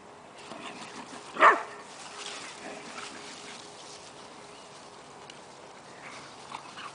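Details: Gary, a dog at the Mayhew Animal Home in London waiting to be adopted, gives a single short, sharp bark early on, followed by a few seconds of quiet indoor background hum.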